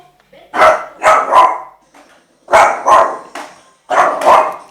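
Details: Nicholas, a male Shih Tzu aged 8 months, frightened by a skateboard, gives loud barks in three bursts of two or three, each burst separated by a pause of about a second.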